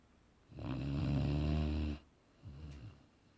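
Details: One drawn-out, rattling deep snore of about one and a half seconds from the dozing Boerboel Aaron, followed by a brief soft wheezy breath out.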